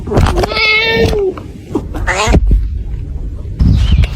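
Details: Cat in a funny compilation indoors giving a long sliding meow, then a shorter second meow, with a human voice and rustling around it.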